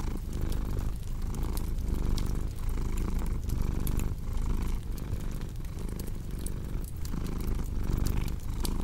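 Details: A cat's deep, unbroken purr rumbles low and even, swelling slightly in soft pulses about once a second, while a cozy fireplace crackles with scattered bright snaps over it.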